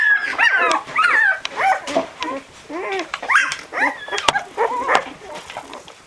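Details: Whining litter of twelve-day-old Barbet puppies wiggling toward their mother: repeated arched, wavering whimpers and small yips, about two per second, some long descending cries, with a sharp click near the end.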